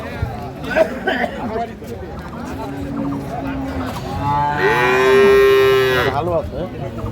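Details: Dairy cows and calves of an improved breed at Ambari cattle market, Bangladesh, on market day: a loud, harmonic moo rising then holding steady for over a second near the end, amid earlier lower lowing, chatter and market hubbub.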